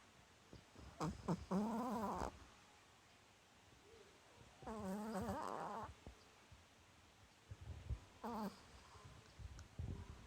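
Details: Seven-year-old female Chihuahua asleep with eyes half open and tongue out, snoring ever more loudly; rough, buzzy snores about a second long come every three to four seconds, with soft rustling between.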